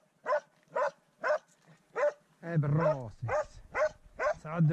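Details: Swix, a dog at his first encounter with a wild boar, barks in a rapid, evenly spaced series of sharp yelps, briefly overlapped by a man's praising voice in the middle.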